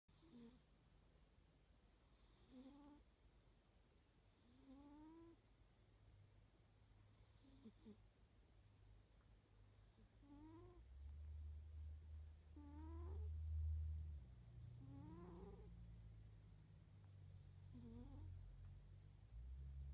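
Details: Domestic cat snoring while asleep indoors: soft, low rumbling breaths with a faint rising whistle on each intake, repeated roughly every two and a half seconds, under steady quiet room hum.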